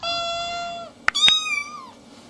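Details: A steady, high kitten mew held nearly a second, two sharp clicks, then a second mew that slides gently downward, from kittens playing with their mother.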